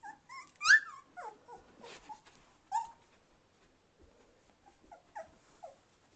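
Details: Two-and-a-half-week-old Samoyed puppies named Sport and Jet, learning to walk and play, recorded December 13, 2009; a burst of shrill rising squeals and yips, then scattered softer whimpers with quiet gaps between them.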